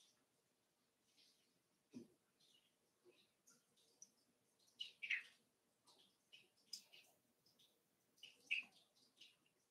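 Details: Five-week-old Cavalier King Charles Spaniel puppies in Daisy's puppy pen, with scattered thin, high squeaks and whimpers at irregular intervals over a quiet indoor background, with a few soft low thumps.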